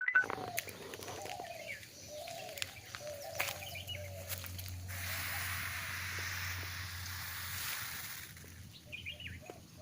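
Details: Saw-scaled vipers making their warning noise: a steady, broad rasping hiss swells for about three and a half seconds midway. Birds whistle and chirp throughout, with soft low rumble beneath.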